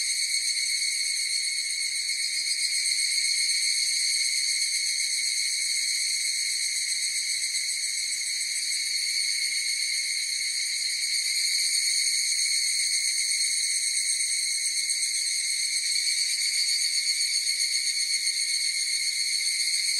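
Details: Long unbroken chorus of higurashi cicadas, a shimmering high harmonic drone that swells only slightly in loudness and runs without pause, free of any background noise.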